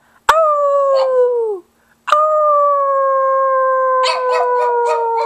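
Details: Pet pug giving two long, steady howls, the first sliding down and fading after about a second, the second held for over three seconds, with a few quick clicks near the end.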